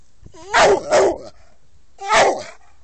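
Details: SAM, an American Staffordshire Terrier, barks loudly: a quick pair of deep, rough barks, then a pause and a single bark, each bark opening with a short whiny pitch slide.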